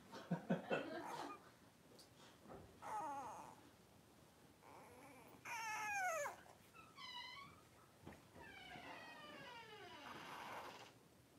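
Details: A litter of five blenheim Cavalier King Charles Spaniel puppies, three weeks old, wrestling indoors. Drawn-out, wavering whines slide downward, broken by sharp squeaks and scuffling, with several long cries near the middle and end.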